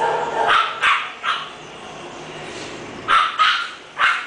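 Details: English Bulldog barking indoors: a quick run of short, sharp, broadband barks, about six in four seconds, in uneven bursts with brief pauses between them.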